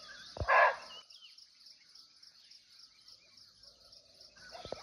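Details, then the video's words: Wild muntjac, or barking deer, in its Nepalese forest habitat, unseen but close: a single abrupt, coarse bark early on. Quiet stretches follow under constant shrill insect buzzing, ending with a couple of faint knocks. "Real Barking Deer Call"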